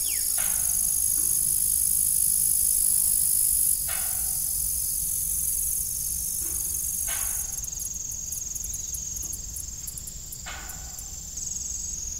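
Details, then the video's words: An evening cricket chorus at an abandoned-looking farm windmill: shrill, sustained high trilling, with repeated brief knocks breaking in every few seconds. "Evening Cricket Sound"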